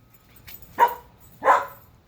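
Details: Whiskey the Alaskan Husky barks at the neighbors while straining on his leash, bored; two loud, abrupt barks about seven-tenths of a second apart, with faint background noise between.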